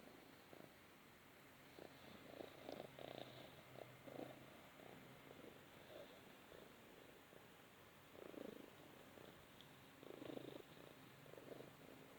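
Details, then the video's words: Balinese cat cuddling in the sun, purring steadily with a low continuous rumble and soft rhythmic pulses, quiet indoor background. "the Balinese Cat Cuddling in the Sun"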